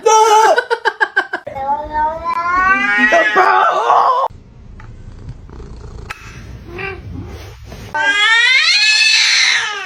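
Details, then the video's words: Domestic cat indoors: a rapid run of short pulsed sounds, then long wavering, rising meows mixed with a person talking, a quieter gap, and a final strained, upward-bending yowl. "cats meowing"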